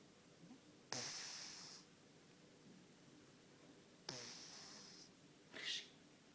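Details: Sleeping ginger cat snoring: two raspy, breathy bursts about three seconds apart, each trailing off slowly, followed by a short sniff-like puff, against a quiet room.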